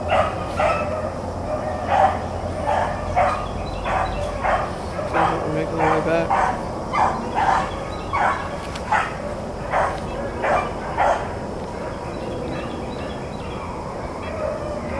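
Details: Blackcreek and Bluetick hounds running rabbits on April 4, 2013, giving repeated bark-like bays in steady bursts, roughly one every second, with a voice speaking faintly in the background.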